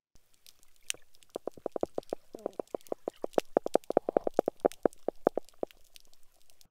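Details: Hardhead catfish recorded underwater on an estuarine oyster reef, which it may use for foraging or as a nursery: a quick, uneven series of short, knocking pulses, like percolating coffee.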